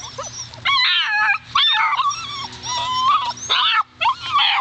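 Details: Alaskan Malamute pups, seven weeks old, offspring of Daphne and Deuce, let out loud, drawn-out whining cries rich in overtones, several wavering wails following one another with brief pauses between.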